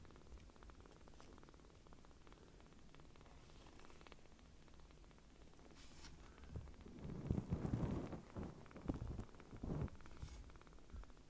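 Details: Palm-sized rescued kittens purring while nuzzling for affection: an even low purr for the first seconds, then louder rustling and handling bumps partly cover it toward the end.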